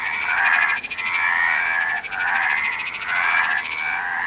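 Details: Frog chorus of steady, grating croaks in drawn-out bursts, joined during the first second by a higher, fast-pulsed trilling caller, with brief lulls between bouts.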